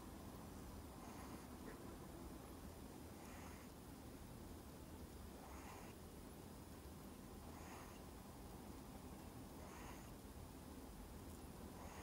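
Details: CoCo, a Miniature Schnauzer, sleeping soundly and snoring loudly: soft breathy rasping bursts repeat roughly every two seconds, steady and even, over a quiet low background hum.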